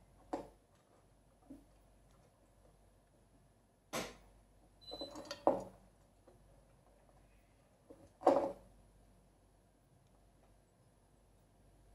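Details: Scattered knocks and bumps, like objects moving against glass or wood, sound in a quiet small room, with no animal call.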